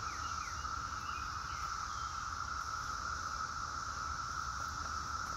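Cicadas sing in a steady, unbroken buzzing drone that fills the air without pause.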